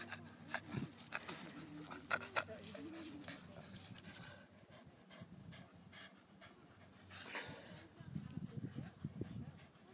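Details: Milton, a Boston terrier, spins around while holding a stick, breathing in quick, breathy pants broken by low, rough grumbling bursts near the end, with human voices talking in the background.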